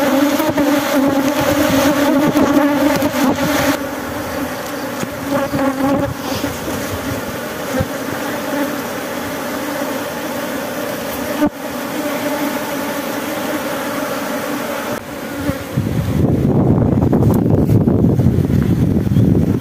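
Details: Swarming honey bees at a Glodok honey harvest hum steadily through the first half. The drone then thins out, and a rougher low rumble of handling noise takes over near the end.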